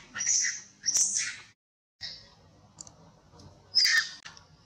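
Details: An old monkey in pain lets out loud, shrill cries. Two screams close together open the sequence, a quieter call follows after a short silence, and a final piercing scream comes near the end.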